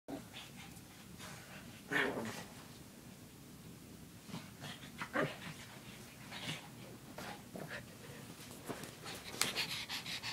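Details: Female pug puppy panting and snuffling softly indoors, irregular breathy bursts spaced a few seconds apart, with one louder huff near the second mark, quiet room background.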